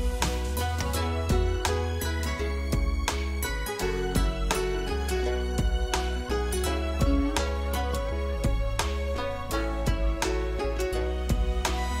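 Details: Soft instrumental music plays throughout, with plucked, piano-like notes over a deep sustained bass.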